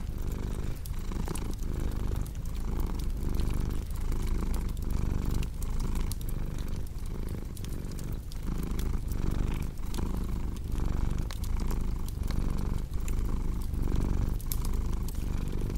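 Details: Deep rhythmic purring of a domestic cat, its rumble pulsing roughly once a second in inhale-exhale waves, overlaid by constant fire crackle and occasional louder pops.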